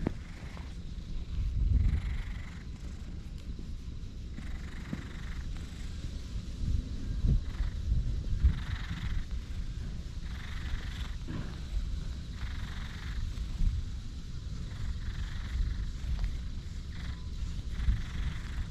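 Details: Black stray community cat in a park, handled and petted, recorded on a GoPro HERO8; a low steady rumbling purr runs throughout, with faint outdoor background noise and brief soft higher tones at intervals.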